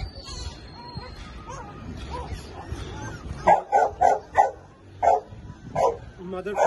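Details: Labrador Retriever puppy in Lahore gives a series of sharp, loud barks in the second half, spaced roughly half a second apart, after a stretch of people talking with music faintly in the background.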